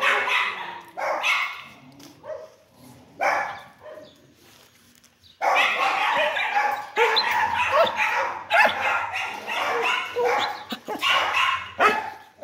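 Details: Dog barking, at first in scattered harsh barks with pauses, then in a sudden unbroken volley of rapid, loud, rasping barks lasting several seconds.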